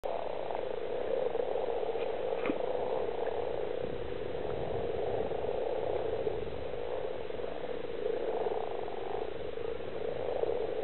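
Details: Common frogs (Rana temporaria) calling at a lake, Stubbergaard Sø, Denmark: a dense, steady chorus of many low purring croaks blending into a continuous hum, with a few faint clicks and knocks.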